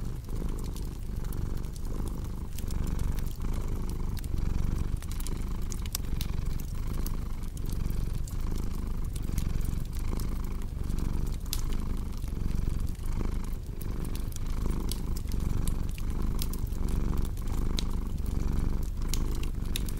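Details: Long stretch of soft cat purring, a dense low vibration pulsing with each breath, accompanied by frequent crackling and snapping of a fire in a fireplace.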